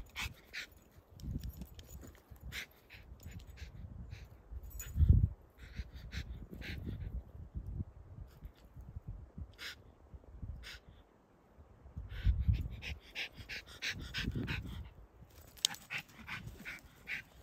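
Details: A Schipperke attacking a fly gives low huffs, soft whimpers and sharp snapping clicks in irregular bursts.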